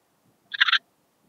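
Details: Antaxius difformis, the Eastern Mountain Bush-cricket, recorded at Timmelsjoch, Italy, 26 August 2022: a single brief rasping chirp made of a few quick pulses, over near silence.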